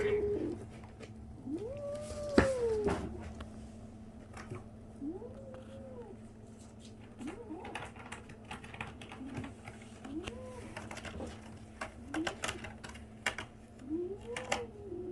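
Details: A 37-day-old kitten makes strange noises: a series of short, arched, squeaky mews repeated every second or two.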